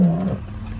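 A lion gives a deep, booming roar that fades quickly into a low rumble.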